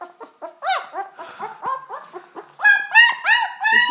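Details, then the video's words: Two-week-old German Shepherd puppy from a litter of ten born August 18th, 2012 in Chestermere, Alberta: rapid high squealing whines with rich harmonics, each rising then falling, about three per second, growing louder and more insistent in the second half. "2 week old German Shepherd puppy"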